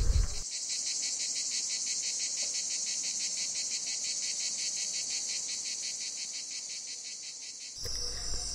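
A cicada sings a steady, high buzzing trill with a fast pulsing rhythm.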